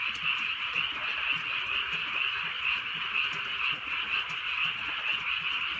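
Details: Rural night in drizzling rain with frogs calling together, a thick overlapping chorus where individual croaks pulse about twice each second, faint raindrops audible underneath.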